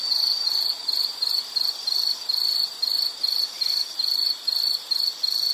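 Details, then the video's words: Insect sounds for study or sleep: clear high-pitched trilled chirps in separate bursts with brief gaps, about two to three per second, over a quiet hiss. "Sound · Nature Sound of nature sounds scenery L · insect"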